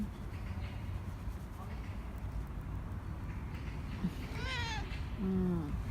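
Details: Korean shorthair cat Nacho asking for more treats at home; after a quiet stretch of low room noise, a thin high meow, then a short, lower, fuller meow near the end.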